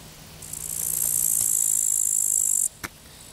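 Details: Grasshopper by the Vistula at the Zawadowski embankment, 15 August 2021: a sustained shrill hissing buzz of a little over two seconds that stops sharply, followed by a brief soft click.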